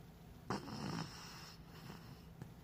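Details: Lucky, a pet dog in deep sleep, snores occasionally: one soft, breathy rasping snore swells after half a second and fades within a second, then quiet room hiss with a faint later breath.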